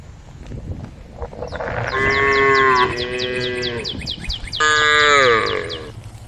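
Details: Group of cows on a road beside a forest, calling the herd with two drawn-out moos, the second louder and slightly falling at its end, over soft rumbling background and a constant series of sharp repeated bird chirps.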